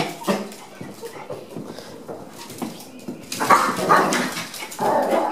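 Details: At a dog daycare trial visit, a Chihuahua mingles with other dogs; scattered high yips and barks, sparse early, then a louder flurry of excited barking in the later seconds, heard indoors.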